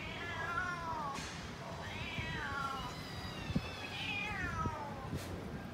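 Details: Cats and kittens waiting for tasty food give three long, drawn-out meows, each rising and then sliding down at the end, spaced about two seconds apart, over low background rumble and a few sharp clicks.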